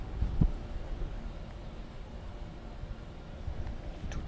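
Low rumbling background noise with a brief thump; no animal sounds.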